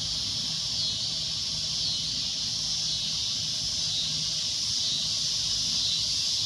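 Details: Cicada producing a loud, unbroken high-pitched drone that swells slightly toward the end, with no other clear sounds.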